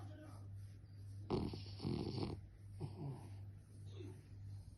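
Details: French bulldog snoring with a sudden harsh, snorting rattle. A second shorter wheezy breath follows about a second later, and a low steady hum runs throughout.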